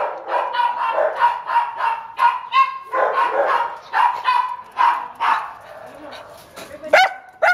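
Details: Neutered male Chihuahua of about six, held at an animal shelter in Downey, California, barks in rapid, high-pitched yaps, several per second, trailing into softer whines near the end.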